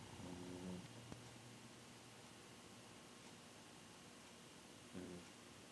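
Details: A pet dog snoring in its sleep: a short low, buzzy, harmonic rasp at the start, then a quiet gap of about four seconds before the next brief snore; faint steady room hiss throughout.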